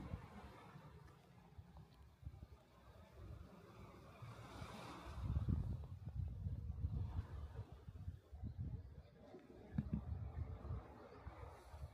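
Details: Low wind rumble and a passing engine drone outdoors by the seaside, with no animal voice heard.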